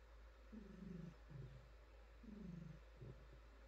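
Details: Female pet cat being petted, giving a short stretch of low buzzy purring: two breath cycles, each a pulsing rumble that dips slightly in pitch, with a brief pause between them.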